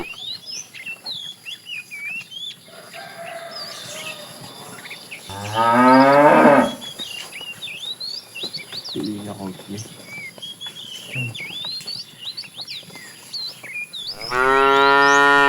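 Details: Afternoon herding of tame cows, with a fat cow calling the female: a loud drawn-out moo near the start, a shorter fainter one mid-way and another at the end, over steady twittering birdsong.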